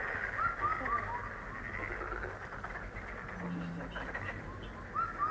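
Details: Continuous chorus of many frogs making buzzy, pulsing croaks, heard as a relaxing lucky sound, with short clear whistled bird notes at the start and end and a brief low hum midway.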